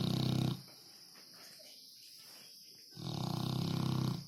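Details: Two loud, throaty dog snores, one at the start and a longer one near the end, with a hushed gap between; a constant high background hiss.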